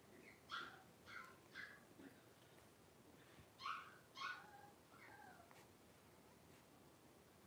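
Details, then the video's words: Three-week-old blenheim Cavalier King Charles Spaniel puppies, a litter of five, wrestling and playing in a puppy pen; high whimpering yips come in short bursts, two pairs of squeals, then softer whines over a quiet background. "3-Week-Old Cavalier Puppies Wrestle and Play"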